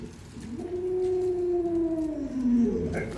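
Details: Drawn-out, steady howl from Luoluo, a domestic Alaskan Malamute, held level for over a second before bending downward, with faint room noise behind it.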